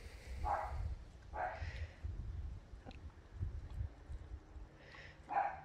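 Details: Distant barking from a neighbour's dog as a pet dingo feeds on raw meat: scattered muffled barks, two early, two close together near the end, over low handling noise and rustling.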